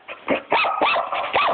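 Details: Four short arched barks, sharp and repeated roughly every third of a second, come from a female puppy indoors.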